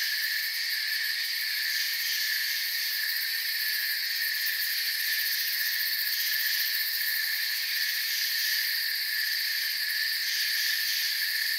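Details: Massed crickets in forest ambience keep up an unbroken, high-pitched trilling drone in several stacked bands, the top layer wavering a little, the overall level staying flat and constant.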